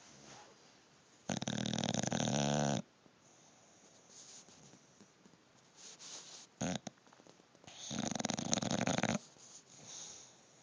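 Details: Bulldog asleep and snoring. Two loud, harsh, buzzy breaths about six seconds apart, each lasting roughly one and a half seconds. Between them are faint soft breathing sounds and a brief rustle.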